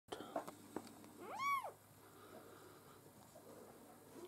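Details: Maine Coon kitten from a litter at a breeding cattery, giving one high arched mew rising and falling over about a quarter second, with faint background hum and small clicks.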